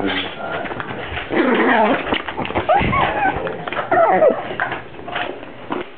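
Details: Dog making odd, voice-like whining and groaning sounds likened to a Star Wars character or a baby; wavering, rising and falling moans and yelps in irregular bursts, with human speech mixed in.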